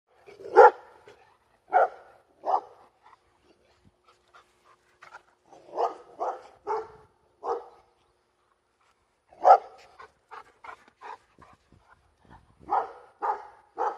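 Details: Labrador Retriever, female, barking at planes overhead: loud, sharp barks in irregular bursts, singles and quick runs of two to four, with quiet gaps between.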